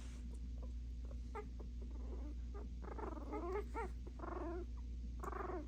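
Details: Puppies barking at each other indoors: wavering, tremulous whines and short yips in overlapping bursts over a steady low hum, growing busier in the second half.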